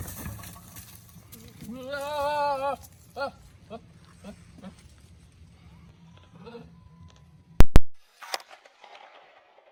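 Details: A male Nigerian Dwarf goat controlling his herd on a ranch lets out a loud, wavering, human-like scream, then shorter bleats, some dog-like barks, and a few sharp knocks.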